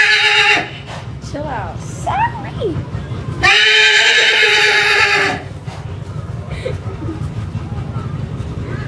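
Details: A young horse that suddenly started freaking out gives odd, wavering whinnies and harsh squealing bursts while people talk nearby.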